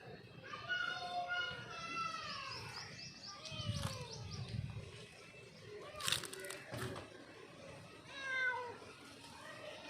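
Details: A mother cat calls her kitten with a few long, wavering meows that rise and then fall, separated by pauses, with rustling and a sharp knock in the background.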